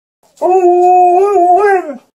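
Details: A female Alaskan Malamute, playing with a whole watermelon and wanting more, gives a drawn-out, tuneful howl that wavers slightly before sliding down at the end.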